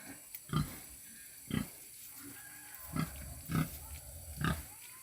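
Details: Young purebred wild boar piglet, a tame, clever pet, thought to be hungry: five short, low, soft grunts about once a second over a faint steady hiss.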